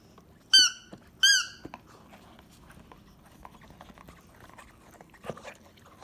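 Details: Three-month-old Akita puppy impatient for its meal, filmed on a smartphone in October: two high, thin squealing whines with clear harmonics, each bending slightly downward, followed by quiet shuffling and a faint thud.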